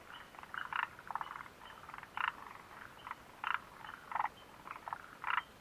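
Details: Frog chorus recorded at the Mitsuishi refuge hut on 29 June 2013, short pulsed croaks in loose succession, overlapping callers alternating at intervals of about half a second.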